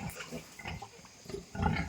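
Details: Pigs on a farm where a sow has just farrowed a new batch of piglets: short, low, rough grunts in two bursts, the second louder and longer, with faint background hiss between them.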